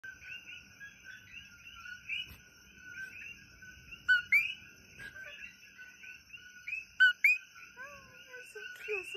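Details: Coqui frogs call through the night in Kona, Hawaii: sharp two-note 'co-QUI' whistles rising from a dense, ringing chorus.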